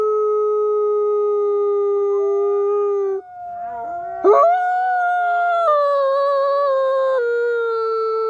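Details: A captive-born Canadian/Rocky Mountain gray wolf at the Wolf Conservation Center in South Salem, New York, howls at close range in long sustained tones that bend and step between pitches.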